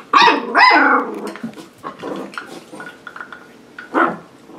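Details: Seven-week-old puppies playing with their new play station: two loud, sharp yelping barks at the start, then softer squeaks and grumbles, and one more bark near the end.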